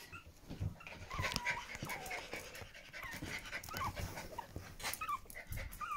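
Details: Pomeranian puppies in the whelping room with their mother, giving thin high squeaking whimpers that rise and fall repeatedly, mixed with soft snuffling and rustling movement.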